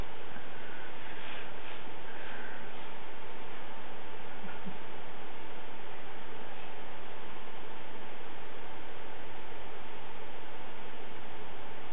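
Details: Steady indoor hiss and low electrical hum run throughout, with no other clear sounds.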